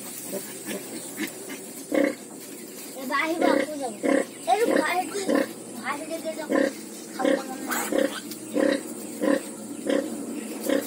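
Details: Pigs on a farm where ten piglets were just born: low rhythmic grunts repeated about every two-thirds of a second throughout, with a man talking over the middle part.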